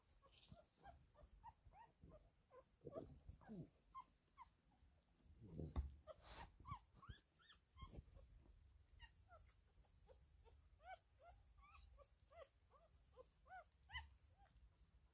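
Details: Four-day-old Cavalier King Charles Spaniel puppies: many short, high squeaky squeals and whimpers, rising and falling, overlapping in quick bursts throughout, with soft low rustling and handling thumps underneath.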